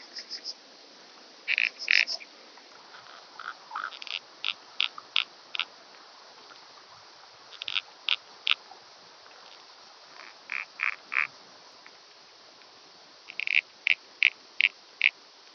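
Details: Common pincer grasshopper (Calliptamus italicus) on Pag, Croatia, 2 September 2019: short broadband chirps in scattered groups of three to six, spaced irregularly over quiet gaps, with a steady faint hiss in the background.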